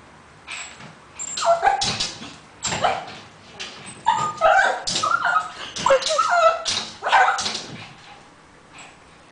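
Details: Shih Tzu indoors in a living room while watching TV, giving a series of high whines and yipping, bark-like calls in irregular bursts with short pauses between them.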